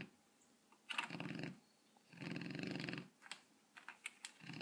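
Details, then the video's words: Seven-month-old Rottweiler snoring in his sleep while dreaming, with rough, rasping breaths in bursts of about half a second, separated by quiet gaps, followed by short sharp snuffles and twitches. "Cute Rottweiler Snoring and Running in his Dream!"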